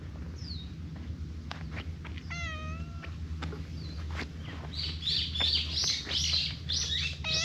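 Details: A Siamese cat, affectionate and rubbing faces with a ginger tabby companion, gives a soft, falling meow asking for affection over a low background hum.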